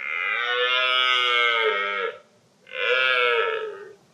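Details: A red deer stag roaring during the October rut; two drawn-out, harmonic-rich bellowing roars, the first about two seconds long, then a short pause before a second slightly shorter roar.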